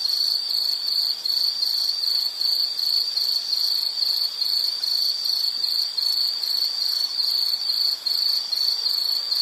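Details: High, piercing insect trill from a relaxing nature-sound recording, pulsing quickly in regular short bursts around two or three per second, with a thin shimmer of higher tones above and a quiet background.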